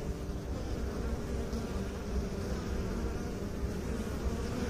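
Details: Short stretch of honey bee drone from a beekeeping scene, a low, rough, steady buzz of many bees with slight fluctuations in intensity.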